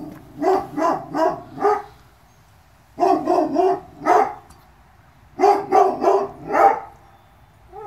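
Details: Presa Canario puppies, a litter of males and females born 2/10/2016, yap in three clustered bursts of four or five rapid barks each, separated by short quiet gaps.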